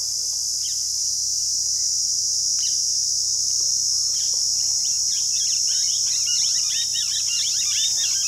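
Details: Cicadas near Rajsamand, Rajasthan, India: an unbroken, very high, hissing drone holds steady throughout, while many quick chirping notes from birds grow busier toward the end.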